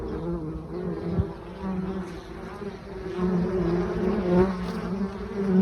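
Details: Foraging honey bees flying with mustard pollen loads on an October morning, 9 October before 11 a.m.: a continuous droning hum with a clear overtone, swelling and fading as bees pass, with a soft click near the start.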